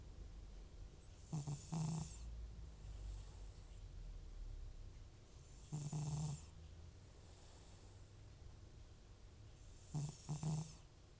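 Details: Sleeping soundly, Butcher, an aged FIV-positive cat with recurring nasal congestion, lets out three heavy, buzzing snores about four seconds apart, each a rough inhalation with breathy hiss, separated by soft breaths.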